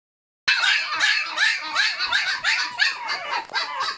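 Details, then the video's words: Six-week-old Malshi puppies giving a steady run of high, overlapping yips and whiny squeals, several voices calling at once with no pauses after a brief silent start. "Malshi puppies"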